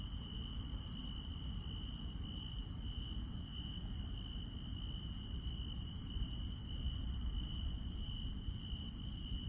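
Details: Countryside insects calling at night, a steady high continuous trill joined by rhythmic brief chirps around every 0.7 seconds and a couple of faint buzzy notes, against a persistent low rumble.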